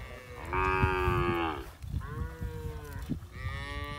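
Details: Village cow in a peaceful rural setting lows loudly three times, each moo a steady drawn-out tone of about a second, the first strongest, with soft thumping underneath.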